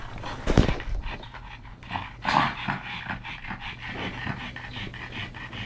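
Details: Two pug brothers, Yogi and Mister, rescued from the SPCA in Malta, wrestling together; irregular breathy huffs and snorts with a sharper burst early on, soft rasping breaths between them.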